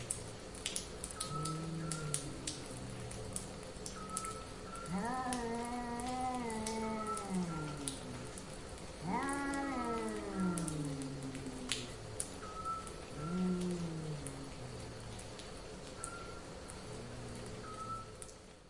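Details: Cats in heat yowling in mating calls: two loud, wavering howls that slide downward, joined by lower, softer moans, over a steady faint tone and a patter like light rain.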